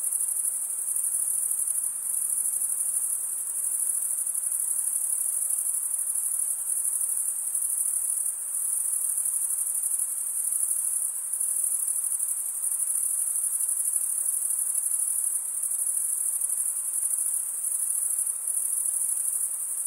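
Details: Crickets chirping at night in a summer forest: a dense, steady high-pitched shimmering trill, many insects overlapping, with gentle pulsing in loudness and no other clear sounds.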